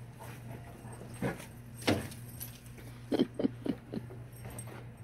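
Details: Alaskan Malamute named Tonka reacting to a played Bigfoot (Sasquatch) recording from the Tennessee mountains; a few short low woofing and grumbling vocal bursts, several clustered near the end, over a steady electrical hum.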